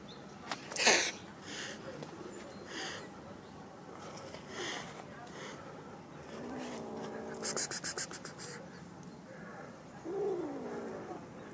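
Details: Kitten from a compilation of kitten videos gives short, arched, harmonic mews. A rising-falling one comes midway and another near the end. Sharp clicks, rustling handling noise and faint voices sound throughout.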